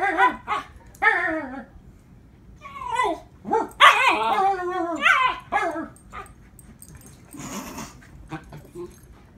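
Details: A 3-month-old female Siberian Husky protesting after being given medicine: a series of yelping, wavering barks and whiny howl-like cries, bursts rising then falling, some overlapping, with a short noisy rustle near the end.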